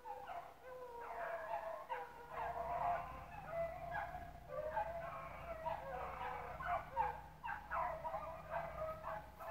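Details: Rabbit-chasing dogs with pups in the pack at Relay Hunt club; continuous overlapping bawling bays from multiple dogs, loud and steady, with short gaps and sharper yelps throughout.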